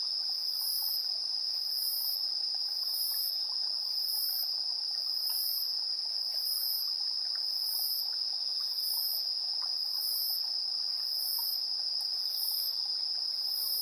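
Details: Insects chirping at 7:04 PM, September 3, 2022, recorded in AB stereo on a TASCAM Portacapture X8's internal microphones: one continuous high-pitched ringing drone overlaid by rapid, very high pulsed bursts recurring slightly faster than once per second.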